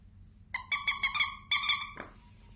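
A Cavalier King Charles Spaniel gives a quick run of high, thin whimpering yelps.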